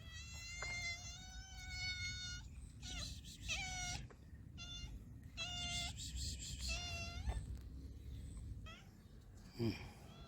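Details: Stray cats being fed on the streets in Morocco, several overlapping harmonic meows, some long and level, others short and rising, with steady low traffic-like rumble and a brief clatter near the end.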